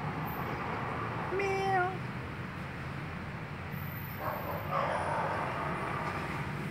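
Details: Street cat giving one short rising-then-falling meow with bright overtones, followed a few seconds later by a fainter second meow, over steady low traffic rumble and street noise.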